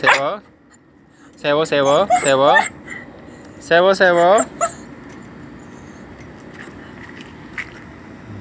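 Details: Pet dog said to know Korean words, answering its owner's greetings with two bursts of wavering, whiny, yodel-like vocalizing, the first broken into several pulses, the second shorter, followed by quiet room noise and a person's voice.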